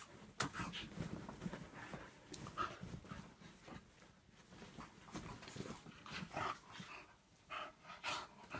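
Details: During an energetic indoor play fight between a Staffy cross and a whippet, quick huffing breaths and brief gruff grumbles rise and fall in uneven bursts, with a few sharper snorts near the start and late on.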